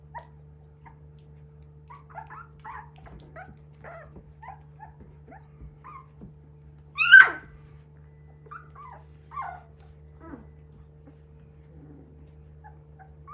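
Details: Three-week-old Border Collie puppies making scattered short, high squeaks and thin whines, with one sharp loud yelp near the middle and a few brief squeals after it, over a steady low hum.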